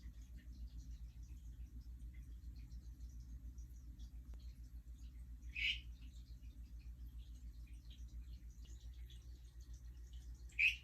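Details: Hourglass tree frogs (Dendropsophus ebraccatus) calling a day after a mating event, in non-breeding calls. Two short, sharp, high chirps about five seconds apart stand out over a steady low hum.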